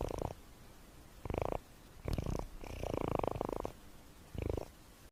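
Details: Cat snoring while asleep, a coarse low rumble that comes in five pulsed bursts, the longest near one second, with quiet pauses between them.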